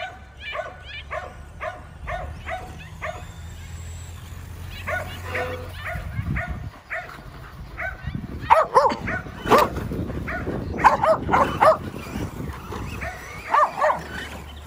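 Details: Kerry Blue Terriers chasing a Traxxas E-Revo remote-control car bark rapidly, about four sharp barks per second early on, then a louder tangle of excited barks and yips over the buzzing engine and background voices.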